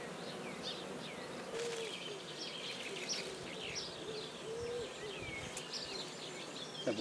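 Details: Black bees humming in a freshly started hive at Guernay, Côtes-du-Nord. A steady low drone runs beneath frequent chirping and whistling of songbirds nearby, with a few brief clicks.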